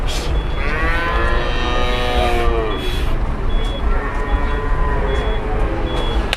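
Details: Fat cattle at a busy Indonesian livestock market, where a heavy cow refuses to get up and causes a stir. Drawn-out, wavering moos rise and fall twice, over steady crowd and engine rumble with short repeated high electronic beeps.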